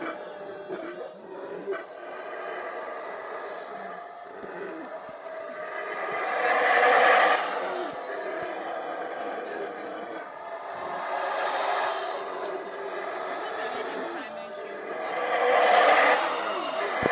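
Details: Black howler monkeys (Alouatta caraya) roar in deep, rasping waves that swell and fade as two rival groups meet near Monkey River, Belize.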